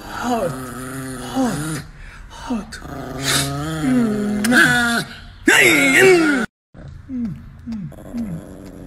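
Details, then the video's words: Niki, an angry pet Chihuahua indoors, gives a string of short, wavering growl-whines that rise and bend in pitch, with brief breaks between bursts, while a person's voice and background music run through the recording. "Niki the angry chihuahua dog"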